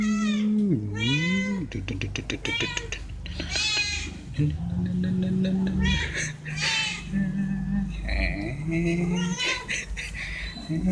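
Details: Stray cats fed veg rissoles meow for food. A scooping low meow and a bright high meow open the clip, then softer, shorter meows follow under a busy background of voices and clatter.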